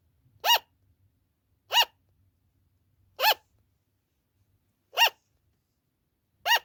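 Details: Pet sugar glider giving its loud "an-an" call, a cry that often continues for a long time, at night or when the owner is out: five short, sharp, nasal yaps with rich harmonics, spaced about one and a half seconds apart, otherwise quiet.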